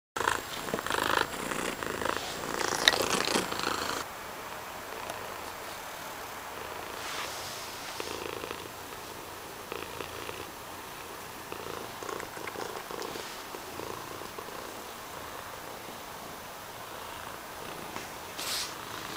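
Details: Mysli the cat purring: a loud, rustly opening four seconds, then a softer, steady rumbling purr with gentle pulses that continues to the end.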